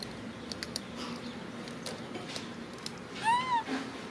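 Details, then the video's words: A monkey, a macaque hugging his favourite food package, lets out one clear arched whining cry, rising then falling with strong overtones, after several seconds of quiet clicks and rustling. "Pity monkey cries, hugs his favorite food package"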